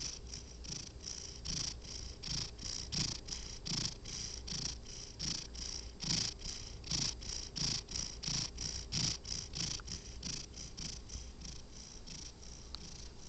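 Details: A sleeping domestic cat snores and purrs in steady rhythmic breaths, each with a soft low rumble and a breathy hiss, repeating about every 0.7 seconds with slight unevenness; quiet indoor setting, no other clear sounds.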